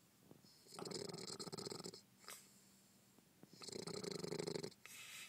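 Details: Bulldog snoring while asleep: two long, harsh, rasping breaths, each about a second, with shorter noisy snorts between them.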